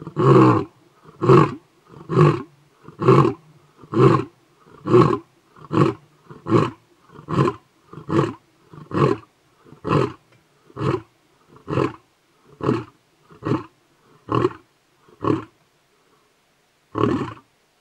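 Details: A wild lion roars about 100 m from a house in Moditlo Wildlife Estate near Kruger National Park, South Africa; a long series of deep grunting roars, about one per second, slowly spacing out, then a final grunt after a pause.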